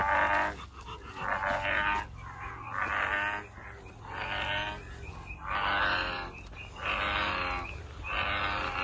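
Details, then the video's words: American bullfrog calling outdoors in nature: loud, harsh, resonant croaking notes, each about a second long, repeated roughly every one and a half seconds in a steady series. "황소개구리, 우름, 소리"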